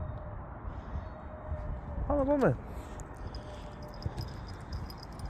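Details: Domestic cat named Smokey, out on a walk outdoors with its owner, gives one short meow that rises briefly then slides downward, lasting under half a second, over a low rumbling outdoor background.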